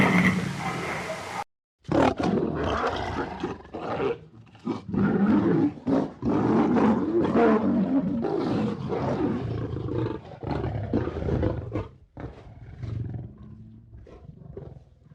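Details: Several lions growl and roar in deep, rasping bursts that surge and fade in quick succession.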